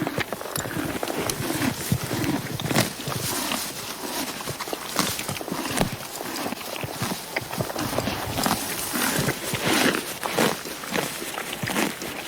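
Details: Horse (Equus caballus), grazing sounds.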